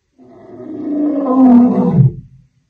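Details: Wild lion on the African savannah giving a single drawn-out, deep roar that swells for about two seconds, then drops into a low grunt and fades.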